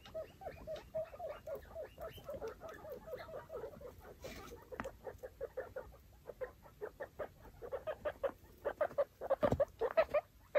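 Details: Foster guinea pig family of five babies and mother Chalupa roaming their cleaned cage; strings of brief chirpy squeaks, evenly paced at first, then louder and sharper bursts near the end, over light bedding rustle.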